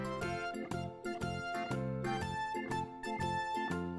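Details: Bright keyboard music with a bouncy melody and steady chords plays throughout; no animal voice is heard.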